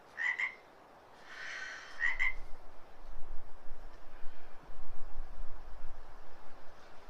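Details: An unseen frog, seemingly very close, gives two short, chirpy trilled calls about two seconds apart during a stretch class in a downtown Portland, Oregon studio, against a low indoor room hum.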